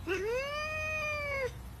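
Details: A domestic cat gives one long, clear meow of about one and a half seconds, rising at the start, holding a steady pitch with rich harmonics, then dipping at the end, over faint low background hum.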